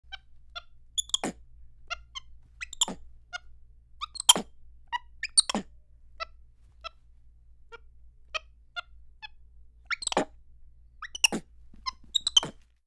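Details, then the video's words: Capuchin monkey giving bursts of high, sharp cheeps and chirps, short squeaky notes scattered in clusters with louder broadband hacking bursts roughly every one to two seconds over a quiet background. "Capuchin Monkey: Cheep, Chirp and Hack"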